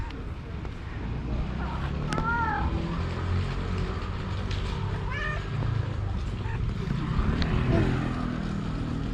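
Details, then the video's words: Female stray cat, just separated from her boyfriend, gives two short rising-falling meows a few seconds apart over steady street traffic rumble and a man's voice. "Stray cat says OH NO!"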